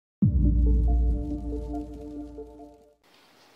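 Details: A struck musical tone rings out with layered harmonics and slowly fades before cutting to soft hiss, with no animal present.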